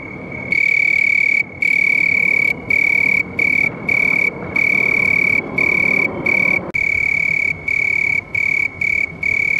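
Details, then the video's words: After a brief quiet start, a house cricket trills loudly on one piercing high note, in bursts lasting under a second to a second, each separated by a short pause. "House Crickets Sound"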